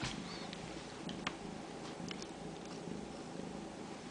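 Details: Ragdoll kittens at a home cattery in central Kansas, raised without cages, give a low, steady, rumbling purr with no breaks, under faint indoor room noise and a few soft clicks.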